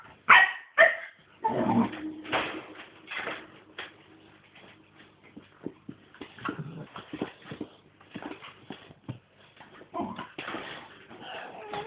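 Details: Staffordshire Bull Terrier mother with nine-week-old puppies at play: a few sharp barks and yelps open, followed by scattered soft whines, snuffles and scuffling, with brief squeaky yips returning near the end.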